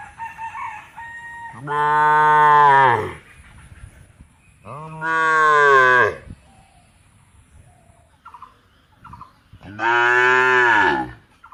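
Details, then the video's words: Cow giving three loud moos in sequence, each starting strong and dropping slightly in pitch at the end, with faint higher-pitched calls heard in the pauses. "गाय की आवाज"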